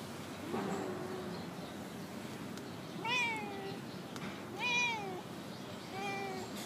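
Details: Female stray cat, habitually vocal, in a park parking lot, producing four drawn-out meows, each rising then sliding down, separated by quiet pauses and soft hiss.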